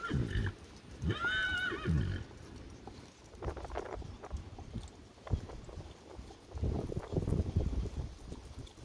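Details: Grey Percheron mare giving a short, clear harmonic whinny lasting about a second, slightly wavering in pitch, then low thuds, shuffling and hoof clops.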